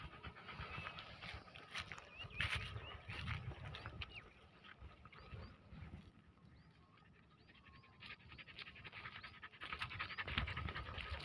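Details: Greyhound kept with cross-breed dogs in a village, panting in rough, breathy bursts of noise that come quickly and unevenly, ease off midway, then return strongly at the end, with faint high bird chirps in the quieter middle stretch.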